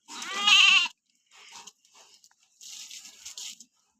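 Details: Goat during a bath: a single strong, trembling, nasal bleat opens, followed by two stretches of hissy splashing noise.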